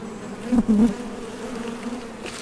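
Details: A hive entrance on a Top Bar Hive, honey bees arriving and departing for nectar; a low buzzing drone with a sharp, loud surge around half a second in as one bee passes near.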